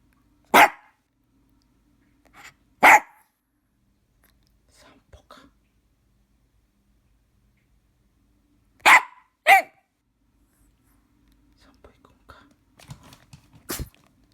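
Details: Shih Tzu puppy indoors barking to ask for a walk: sharp single barks spaced a few seconds apart, a quick pair near the middle, then soft shuffling and a last short bark.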